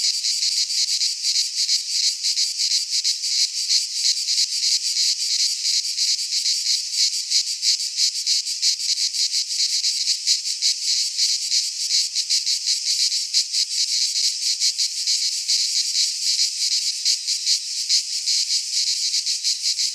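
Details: Midsummer chorus of cicadas in a pine forest in Greece, a continuous high rasping drone with fast, slightly irregular pulsing across the whole stretch and nothing else audible.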